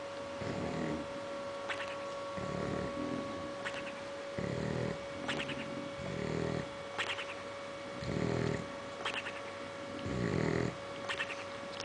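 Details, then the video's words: A bulldog snores in deep sleep, grating rumbles repeating roughly every two seconds with short whistling snorts between, over a steady background hum. "THE SNORING BULLDOG"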